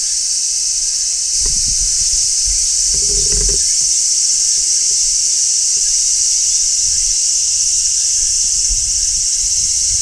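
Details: Steady shrilling of a large brown cicada in midsummer, a dense hissing high buzz without pause, with a short low murmur around the third second and faint low rustling.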